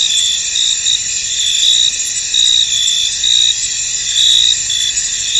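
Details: Crickets chirping in a misty field, dense high trill layered with brighter bursts recurring near once a second, a steady insect chorus with no birds, wind or people heard.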